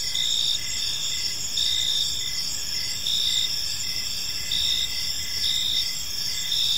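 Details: Several crickets calling together in a park at evening: high, ringing pulsed chirps over a constant trilling drone, gently swelling and fading, with quiet background hiss.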